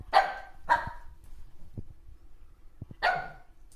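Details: Playful Shih Tzu puppy with its mother: three sharp, high yaps spaced about half a second and two seconds apart, with light tapping and scuffling sounds in between.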